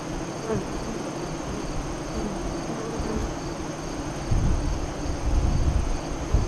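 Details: Hive entrance near Lyons, Nebraska, with honey bees active during the August 2017 eclipse, entrance facing west. A low drone holds steady, then grows into louder, rougher buzzing over the last two seconds as bees pass near.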